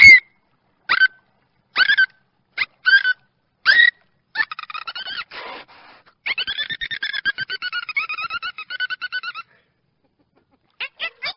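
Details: Dolphin heard through short harmonic whistles that rise and fall between mid and high pitch. These give way to long buzzy trains of rapid pulses, then a brief pause and a few final quick chirps. No other sounds.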